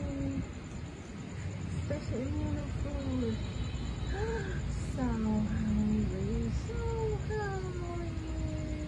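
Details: Ownerless street cats and kittens in a city, being fed, call in a run of short curving meows, some rising and some falling, overlapping at times, with low traffic-like rumble and a faint voice underneath.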